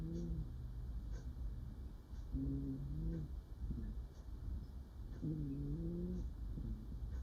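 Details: Domestic cat murmuring in its sleep while dreaming, indoors: soft, low, wavering moans in short bursts, one near the start, a longer one around two and a half seconds, another after five seconds, over a steady low hum.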